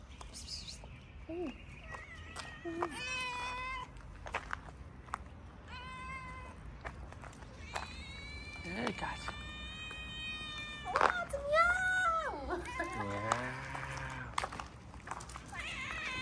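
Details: Stray cats fed daily on a Moroccan street mew eagerly around their feeder, a chorus of drawn-out harmonic meows, some bending up and down, over a person repeating short words and light background noise.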